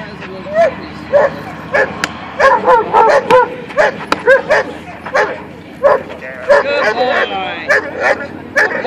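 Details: German Shepherd male in attack training, 6 April 2013, taught to attack only when told; sharp repeated barks in irregular bursts under a trainer's spoken commands and encouragement.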